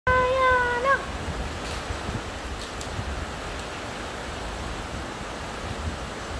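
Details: Arya, a happy Husky puppy, gives one drawn-out tonal whine lasting about a second, steady in pitch then lifting briefly at the end, followed by a constant rushing, wind-like noise.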